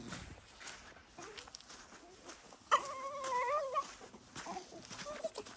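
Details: Puppies greeting someone home after work, one giving a sudden wavering whine of about a second with clear harmonics, amid fainter squeaks, shuffling and room noise.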